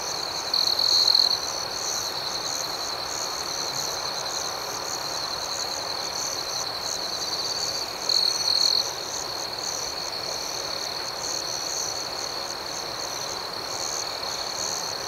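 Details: Crickets at night giving a steady high trill, overlaid with rapid rhythmic chirp pulses about four per second, with two brief louder bursts; continuous outdoor night ambience.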